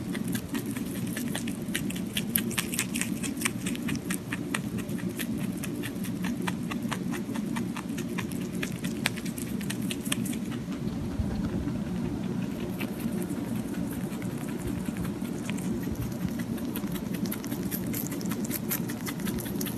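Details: Pet rabbit eating, recorded close for ASMR: dense, rapid crunching clicks for about ten seconds, then softer, sparser nibbling. A steady low hum runs underneath.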